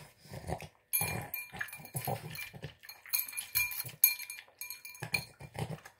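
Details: A male Boston Terrier snorts and grunts in short, rough, pig-like bursts while greedily wolfing down his tuna, egg and kibble dinner, which he finishes in about three minutes.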